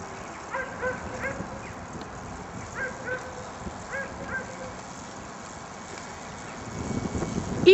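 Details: During racing training at Tor Służewiecki on 28 February 2010, an Afghan Hound or Saluki gives short excited yips in small clusters of two or three, with pauses between, people talking and outdoor noise rising toward the end.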